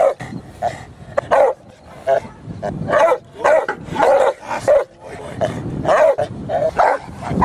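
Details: Dogs in protection training at a K-9 academy, breeds including Cane Corso, Presa Canario and Pitbull, bark loudly and repeatedly, deep harsh barks roughly every half second, with a handler's voice mixed in.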